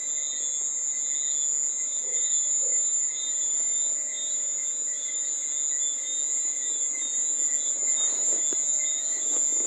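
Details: Persistent piercing cricket trill, even and unbroken, accompanied by quieter lower buzzing tones and a short burst of faint rustling noise near the end.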